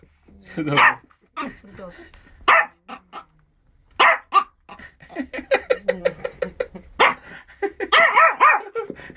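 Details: A Yorkshire Terrier's first encounter with a rabbit: short high barks at irregular intervals mixed with a person's speech, ending in a quick cluster of yaps.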